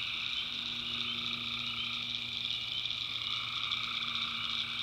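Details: Tree frogs calling at night in a North Carolina backwoods swamp: a dense, unbroken chorus of high trilling voices layered in steady bands, with a lower droning caller running beneath.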